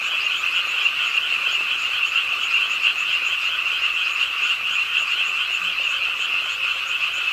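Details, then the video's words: Chorus of frogs at a park pond in Suwon on a rainy late night, croaking as rain falls; an even, high, grating trill without pauses and a faint wash of rain. "비오는 밤 개구리소리, Do you hear the frogs? 비오는 밤 공원 연못 추억의 개구리 소리, Frog Sounds, 빗소리와 함께 듣는 개구리 우는 소리"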